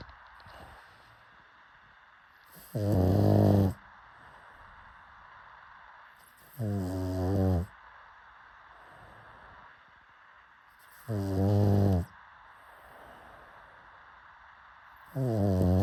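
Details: Pug snoring in its sleep, four deep, rattling snores spaced roughly four seconds apart, each a buzzy low drone lasting close to a second, with quiet breathing between.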